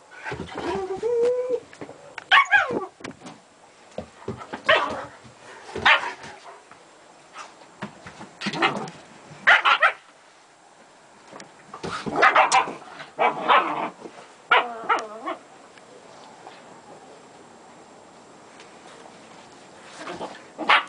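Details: Playing with her German Shepherd puppies, Gretta and the pups produce yips, whiny whimpers with wavering tones, and short barks in clusters, then a long quiet stretch before a final yip.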